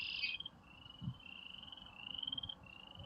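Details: Frogs come out after rain on a spring evening in Airdrie, Alberta, calling for females in an overlapping chorus of high rasping trills, with a brief brighter call and faint low rumbles; red-winged blackbirds also call.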